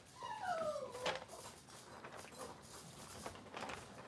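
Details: Cavalier King Charles Spaniel puppy indoors at a kitchen camera: a single high whining whimper sliding downward, with a fainter harmonic above, followed by soft indoor shuffling and clatter.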